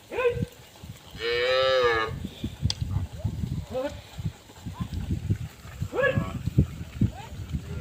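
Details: A herd of cows met together on a road. One long, rich, loud moo lasting nearly a second opens the clip, followed by shorter, softer lowing calls, with steady low thumps and rustling underneath.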